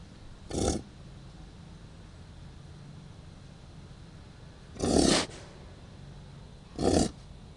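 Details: American bison giving three short, harsh, breathy snorts: one near the start, then two more about two seconds apart toward the end, separated by quiet, steady background hiss.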